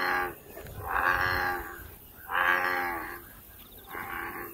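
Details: In nature, an American bullfrog gives long, resonant, lowing calls, four drawn-out harmonic notes about a second apart, each swelling and fading, over faint background hiss.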